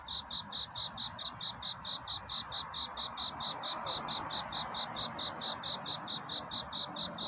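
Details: Cricket courting in the night, heard as even, high-pitched pulses roughly twice a second, set against a louder broad hiss and low rumble.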